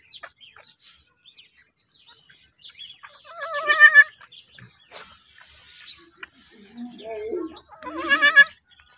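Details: Baby goats bleating: two loud, high, quavering bleats with a wavering pitch, one near the middle and one near the end, over soft chirping of small birds in the background.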